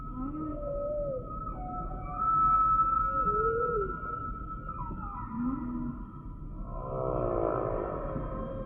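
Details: Humpback whale song: a long sustained high tone overlaid with short rising and falling whoops, followed by a buzzy pulsed cry near the end, all over faint underwater hiss.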